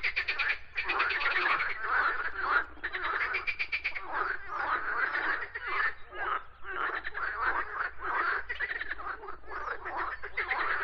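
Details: Several frogs croaking in irregular bursts of buzzy, rattling pulses separated by short gaps, with the calls forming a continuous overlapping chorus.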